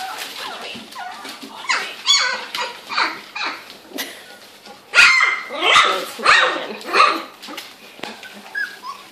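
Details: Young Labrador Retriever puppies, all girls aged two to three weeks, at an Australian Gold Coast kennel, practising their voices during play: rough little yips and squeaky barks come in irregular bursts, several overlapping.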